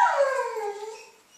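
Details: Basenji female learning "leave it" food refusal gives one long, drawn-out whining call that starts high and glides steadily downward, fading at the end.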